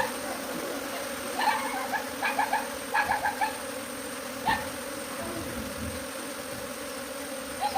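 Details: Swarming bees leaving the hive for a tree keep up a continuous low drone. Short, high chirping notes come in irregular bursts over the buzz.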